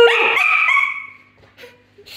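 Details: Pet Basenji yodelling while playing with other Basenjis indoors: one strong, bright, warbling cry lasting about a second, rising then sliding down and fading, followed by faint short yips.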